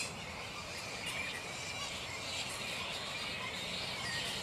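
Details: Black flying foxes (Pteropus alecto) at their roost in mid-morning, not yet settled for the day: a dense, continuous chorus of shrill, scratchy squeals and chattering from many animals, steady in loudness throughout.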